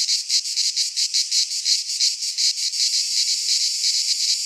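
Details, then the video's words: Cicadas in a Greek pine forest during midsummer, a shrill buzzing pulsed in clear beats at first, then blurring into a steadier continuous hiss toward the end. "Cicadas singing in midsummer"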